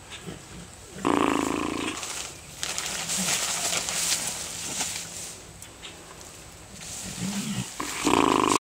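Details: A female Bengal tiger attacks a plastic bag and then comes after the camera, giving two short, harsh, tonal growls amid steady crackling and rustling of the plastic.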